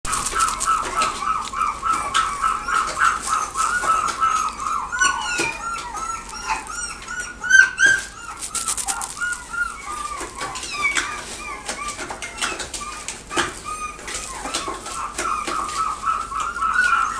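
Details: A Jack Russell terrier gives a steady stream of high, thin yips and whines, many per second, over a constant background hiss.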